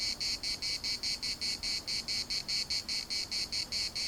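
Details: Loud pulsing drone of cicadas in the municipal park, Larnaca, the piercing high buzz swelling and dropping in a fast steady rhythm against quiet background hiss.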